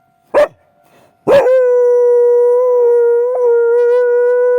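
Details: Akita dog reacting hard to a railway crossing at night: a single sharp bark, a second bark that turns straight into a long, level, sustained howl lasting about three seconds, with a brief break near the end.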